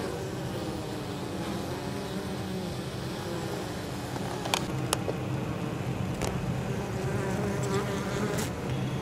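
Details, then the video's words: Crowds of honey bees entering the hive with pollen and nectar on a mild 23 October, apiary beside fields; a constant deep humming drone, with several sharp clicks in the second half. "Abeilles. Rentrées de pollen et nectar le 23 Octobre"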